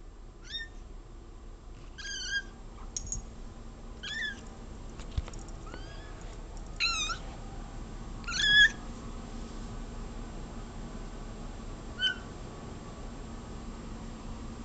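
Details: Cola, a pet cat indoors, meows nonstop at a bug she sees on the wall: a run of short, rising-then-falling meows with clear harmonics, roughly one every one to two seconds, a louder one near the middle, over faint room hum.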